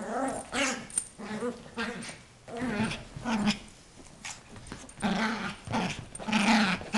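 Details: An 8-month-old female Yorkshire terrier growls while playing with her toy, guarding it from her owner; short rough growls come in bursts with pauses between, some possible human voice mixed in.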